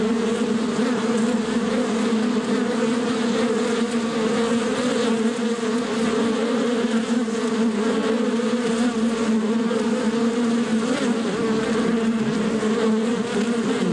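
A steady, dense drone of many bees buzzing together without pause.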